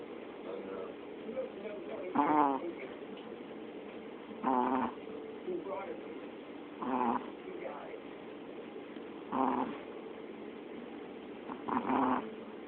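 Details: Pet dog snoring, with rough, raspy breathing bursts repeated about every two and a half seconds, five clear snores against a quiet indoor background.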